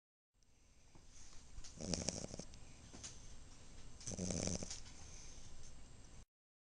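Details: Female Chihuahua and Italian Greyhound mix napping beneath a pink towel, making snorty noises: two rough, breathy snore bursts about two seconds apart over a soft steady hiss.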